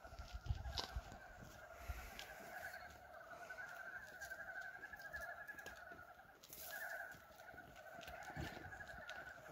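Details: Frogs out for the first time in 2023, calling on February 19 at the start of spring, form a continuous chorus of rapid, rattling croaks that overlap and pulse throughout, over faint outdoor background noise.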